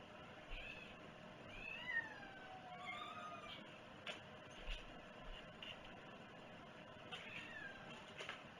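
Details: Domestic cat recorded at breakfast on 11 August 2018, with a run of three or four meows, each rising and then falling, close together. Soft knocks and a faint background hum are also heard.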